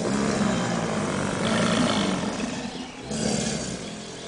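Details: Group of subadult American alligators at the St. Augustine Alligator Farm Zoological Park in a bellowing chorus: continuous low, vibrating, growly roaring from several animals, dipping briefly near the end before another loud surge.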